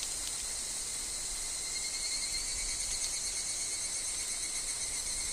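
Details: Evening cicadas, known as higurashi, sing in a woodland. The high, pulsing chorus holds steady, growing slightly stronger toward the end, with a faint constant tone below it.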